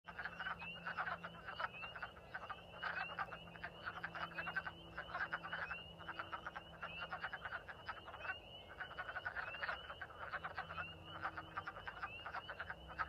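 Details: Wood frogs (Lithobates sylvaticus) calling in vernal pools at a farm on 14 March 2024, early spring, in a dense chorus of overlapping duck-like clucks and croaks without pause; spring peepers sing in the background.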